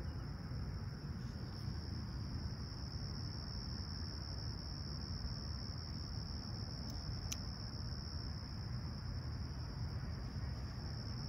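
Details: Crickets chirping at a clear, calm summer sunrise at Humber Bay Shores, Toronto, on 28 July 2020 at 20ºC: a steady, unbroken high-pitched trill drones over a heavy low rumble, with a few faint clicks.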